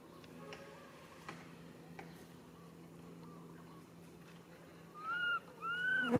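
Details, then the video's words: Infant monkey calling to its mother for help; after quiet background noise and a few soft sounds, two loud clear whistled coos at the end, the first rising then falling, the second longer and arching. "Po-or baby monkey RAIN calling mom RANY to helps but can't."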